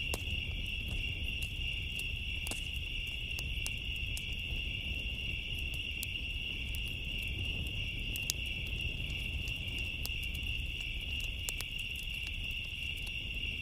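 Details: Crickets trill steadily and high-pitched on a summer night over the pops and crackles of a burning bonfire.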